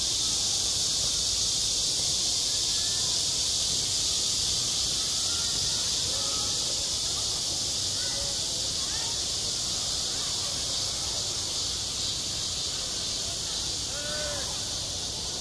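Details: Summertime cicadas over a school playground give a sustained, shrill buzzing chorus with a slight pulsing at the very top, as distant voices come and go faintly beneath.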